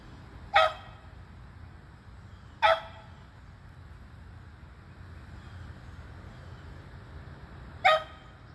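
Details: Beagles Athena, Zeus and River treeing squirrels, June 3, 2020; two aged eleven, one aged three. Three loud sharp barks spaced unevenly, roughly two and five seconds apart, over a steady low background rumble.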